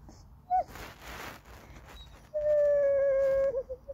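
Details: Goldendoodle puppy Andy whines for snacks or petting, a short bent note, then a rustle and a steady level whine held over a second, ending in brief wavering tails.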